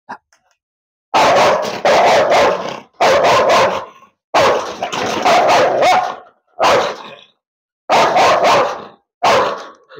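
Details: Caged Rottweiler described as a biter, with an attempt to release it from its kennel, barking loudly and repeatedly in rough, rapid volleys with only brief gaps between them.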